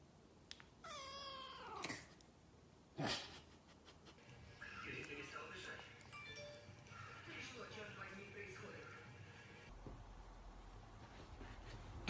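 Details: Shorthair Maine Coon cat giving a drawn-out, wavering meow that bends downward, then a second short sharp cry, followed by music with voices.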